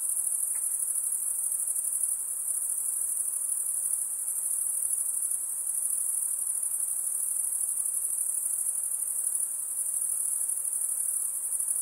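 An insect gives a steady, very high-pitched shrill trill that runs without a break.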